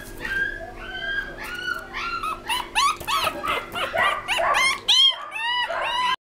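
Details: A small black Pomeranian gives a quick run of high, arching yips and whines, with a faint steady hum behind.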